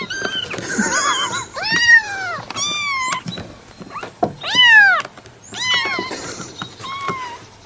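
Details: Cat meows of varied shape, some short and wavering, others long and sweeping down in pitch, spaced irregularly with quieter stretches between, in a small indoor space.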